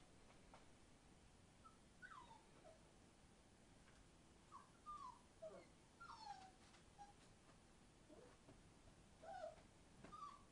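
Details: Entlebucher Mountain Dog puppies, 36 days old, in a pen: faint, high whimpers and short falling squeals at scattered moments, several in quick pairs, over a soft steady background hiss.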